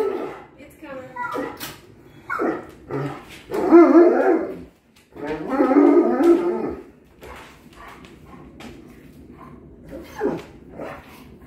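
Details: Giant male Alaskan Malamute dog excited about dinner, giving short woo-woo vocal bursts and two longer groaning howls mid-clip, mixed with a person talking and quiet background noise indoors.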